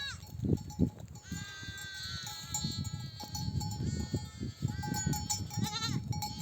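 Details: Nomadic flock back from grazing, mother sheep bleating to call their lambs to suckle; several wavering bleats over trampling hooves and a steady bell-like ring.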